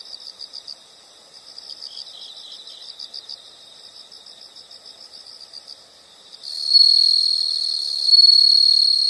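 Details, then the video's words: Insect nature sound: soft rapid pulsed chirping, about four pulses a second, carries on for six seconds, then a louder continuous high trill from a closer insect takes over to the end. "the sound of insects"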